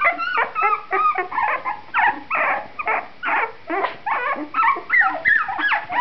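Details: Puppy litter at 2.5 weeks, eyes opened, growing livelier: pulsed whimpering in bursts roughly three per second, mixed short squeaks and drawn whines from more than one pup.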